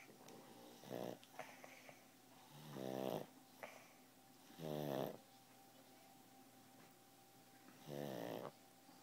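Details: Pug asleep and snoring: four rattling, raspy snores spaced about two to three seconds apart, each a brief buzzy burst, over a faint steady background hum.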